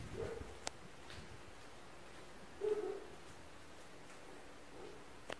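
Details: Distant barking from neighbours' dogs near an apartment: a faint bark at the start, then a clearer muffled double woof near the middle, with a soft later bark, a few sharp clicks and constant low indoor hum.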